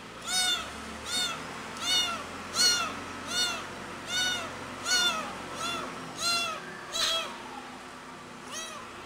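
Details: Pretty, a cat, meowing very loudly while missing its mother: a steady run of about eleven loud, rising-falling meows, roughly one every 0.8 seconds, against a quiet low background hum.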